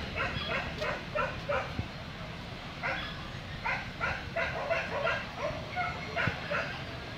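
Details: Barking Corgi at a Vietnamese dog show: clusters of quick, high yaps repeated in uneven bursts, with people talking and a busy indoor hubbub behind.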